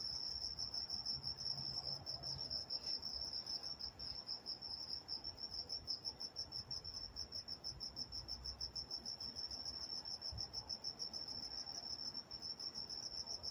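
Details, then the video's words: Crickets chirping at night in Walnut, California: a constant high trill with rapid pulsing, several insects overlapping, and soft low background noise throughout. "Nature Sounds Night Time Crickets in Walnut, California"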